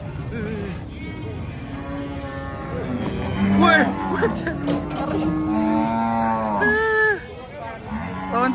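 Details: Overlapping moos from cattle leaving a truck at a market: a run of long, level lowing calls, some rising at the end, mixed with people's voices and faint background music.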